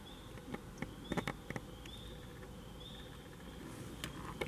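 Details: Tree frogs singing among autumn foliage on October 25, 2021; short, high, buzzy trilled notes recur roughly once a second under a steady hiss, broken by several sharp clicks and taps in the first half.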